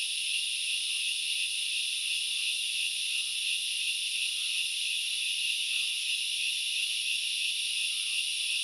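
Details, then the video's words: Grasshoppers recorded in forest at Knuckles Reserve, Central Highlands of Sri Lanka: a dense, unbroken high-pitched hissing buzz that holds steady throughout, with faint soft chirps drifting underneath. "The sound of locusts / The grasshoppers sounds"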